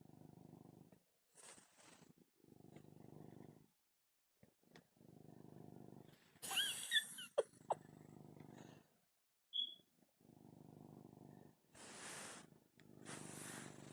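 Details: Domestic male cat purring loudly while kneading and fixing his bed, a motorboat-like rumble; steady low buzzing purr phrases about a second long, repeated with short pauses, plus occasional rustling and a faint squeak.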